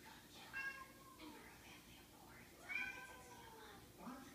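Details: Indoor domestic cats calling as if wanting to gather the pack: harmonic meows rising and falling, about three in four seconds, spaced roughly two seconds apart, with a quiet room hum beneath.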